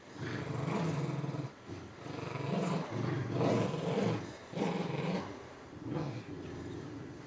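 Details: Two puggles playing tug of war with a grubby stuffing-less toy squirrel, one dragged around by the other; sustained deep rumbling growls in long swells of one to two seconds, rising and falling in intensity.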